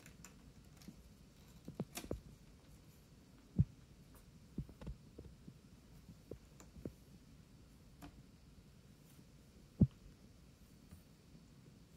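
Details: Quiet indoor room hum with scattered soft clicks and thumps, no animal voice heard.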